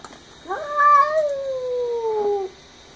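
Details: Indoor domestic cat screaming at a neighborhood cat outside the window; one long two-second wail that jumps up sharply and then slowly slides downward, fading at the end.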